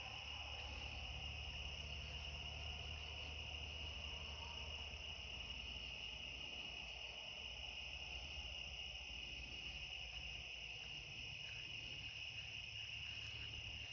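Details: Cicadas singing at night in a back yard near the end of summer; a steady, shrill, unbroken drone of layered high tones from many insects, with a low rumble of distant traffic underneath.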